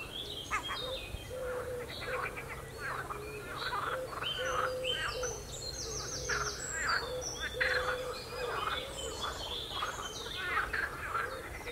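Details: Frogs croaking on the Royal Military Canal near West Hythe: a dense chorus of overlapping rattling, cackling croaks in quick pulsed bursts, with thin high bird chirps scattered above.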